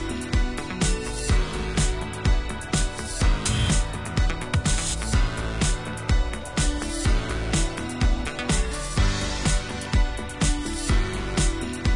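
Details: Upbeat funky music with a steady driving beat plays throughout.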